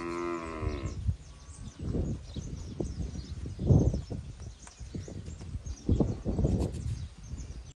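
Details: Nelore and industrial crossbred calves, eight months old, forty head, Jales region, São Paulo: one short harmonic moo opens, then only low rumbling, shuffling and knocks from the herd.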